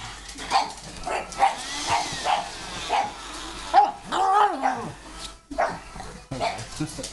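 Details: Pug barking and whining at a vacuum cleaner it hates: scattered short yaps, a drawn-out rising and falling whine-howl near the middle, with vacuum noise and indoor rumble throughout.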